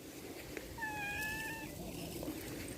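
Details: Domestic cat giving one drawn-out, steady tonal meow lasting nearly a second, with a person speaking briefly before and after in a quiet room.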